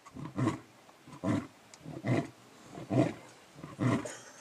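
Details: Lion grunting: five deep, breathy bursts spaced close to a second apart, each fading into a soft exhale, the end of a roaring bout.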